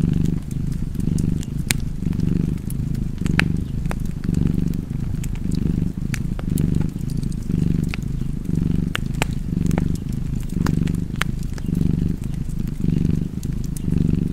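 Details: Domestic cat purring beside a fireplace, a deep steady rumble swelling and easing in breath cycles roughly once per second, with sharp crackles and pops from the burning fire throughout.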